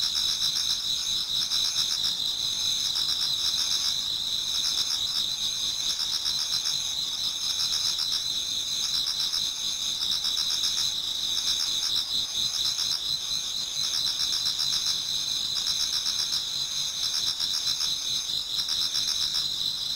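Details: Numerous insects sing through an autumn night into dawn in a Japanese garden. A sustained, ringing high chorus of rapid pulses in two close pitch bands, steady and even, with no other sounds.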